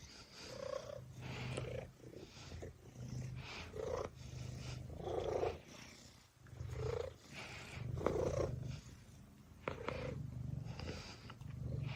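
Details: Gray fluffy cat asleep on its back, snoring with soft purring: low, rasping breaths rising and falling in a steady rhythm, roughly one every second or two, in a quiet indoor setting.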